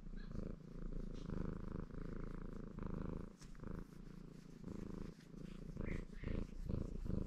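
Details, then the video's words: A male ginger Maine Coon called Baron washing himself while purring happily; rhythmic rumbling purr cycling with each in- and out-breath, brief gaps between breaths, light licking clicks on top. "Рыжий кот мурчит и умывается"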